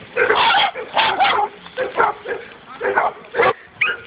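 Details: Dog meeting a wild boar for the first time, barking in rapid rough bursts about once or twice a second, while a man urges it on in Russian and then praises it.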